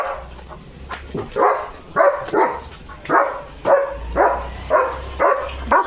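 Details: German Shepherd named Leo barking non-stop at another dog seen outside, on a farm; a run of loud, harsh barks repeating roughly twice a second, with a low steady hum beneath.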